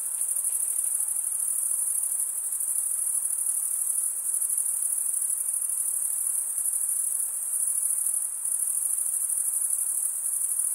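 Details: Crickets stridulating in an unbroken, high, ringing trill that keeps one pitch and level for the whole stretch, with small flutters in loudness and a soft hiss underneath.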